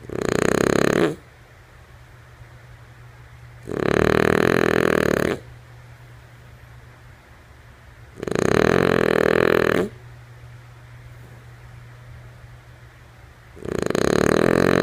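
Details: Sleeping female French Bulldog named Lulu snores steadily, four rough, fluttering snores repeating roughly every four seconds, each around a second and a half long, separated by near-silent pauses in a quiet room.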